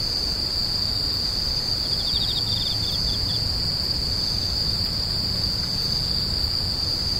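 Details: Insects crying: a steady piercing high-pitched ring, with a single quick rattling burst of pulses around two to three seconds in, against a soft low background rumble.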